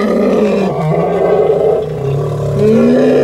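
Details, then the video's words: Angry wild elephants in Kaudulla National Park, Sri Lanka. A loud, sustained, harsh roar with strong low tonal bands, wavering in pitch and rising toward the end. "Angry Elephants in Kaudulla National Park"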